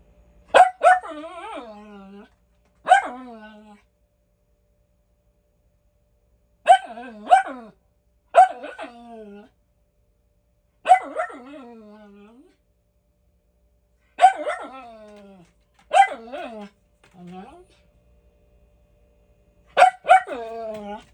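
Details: A Miniature Schnauzer barks in sharp bursts, often doubled, with short pauses between them, seemingly for no reason.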